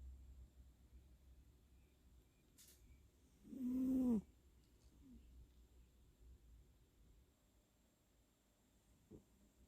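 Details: Abby, a senior tabby cat, asleep and snoring, recorded close up on 10/8/2020 with REM twitching; one loud, low, tonal snore swells and fades over about half a second, preceded by a faint click, otherwise quiet room hum.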